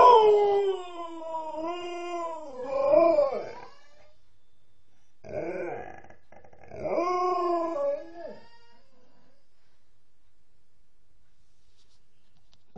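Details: Female Alaskan Malamute named Nukka howls, thought to be missing her mum: wavering harmonic howls with rising and falling pitch, broken into two bursts with a gap, ending in silence.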